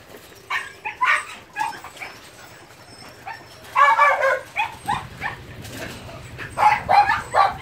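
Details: Phu Quoc Ridgeback puppy in rat-catching training at a Saigon kennel gives sharp, high yappy barks in short clusters near the start, middle and end, with quiet gaps between and a low hum underneath.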